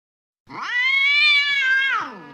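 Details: Angry cat giving one long, drawn-out yowl of about one and a half seconds. The rich, harmonic tone rises at the start, holds steady and high, then falls away at the end.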